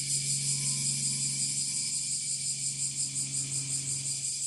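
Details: A bear cicada in northern Kyushu on 26 July 2023, just after the rainy season ended, sings its full-power song, heard from a little distance: a loud, harsh buzz pulsing about three times a second.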